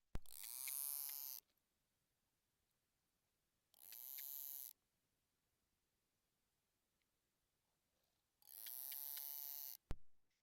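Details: A narwhal gives a contact call, thought to maintain mother-calf contact: three buzzy, broadband pulsed calls, each about a second long, with pauses as if awaiting response, resembling a beluga contact call.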